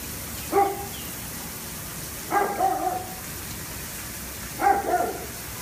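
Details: A dog that had spent four hours trying to catch a squirrel gives three short howling, barking calls about two seconds apart, each with stacked tonal bands, over a steady rain-like background hiss.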